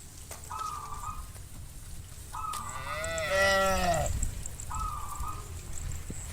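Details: At dusk on a vast pasture, a herd of hundreds of tame farm cows heads back to the pen. One loud, drawn-out moo falls at its end, framed by three short, level, higher tones and a low background rumble.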